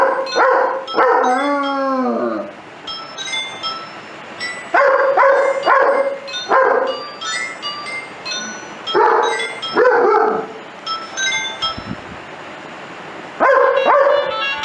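A German Shepherd howls in wavering, sliding tones over music playing in the background.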